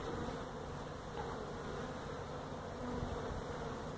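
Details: Feral honey bee colony that built its hive inside a tractor tire in a tire stack at a citrus orchard in Mission, Texas, disturbed during hive removal; a steady, dense, low droning hum with even tone throughout.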